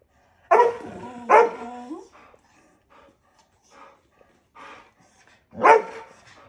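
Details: Two terrier brothers playing together indoors. Two loud barks in quick succession, the second sliding into a short whine, then faint scattered yips and human voices, and a final loud bark.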